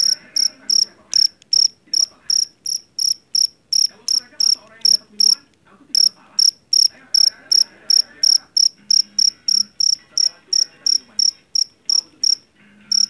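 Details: Field cricket of the jeliteng or Javanese type, taken from a rice paddy, sharp high chirps in rapid even bursts with a few brief pauses, soft background rumble and faint voices.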